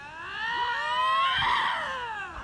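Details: Lynx in a screaming match: one long wailing, caterwauling scream that swells and bends in pitch over about two seconds, rich in overtones, with no other sounds around it.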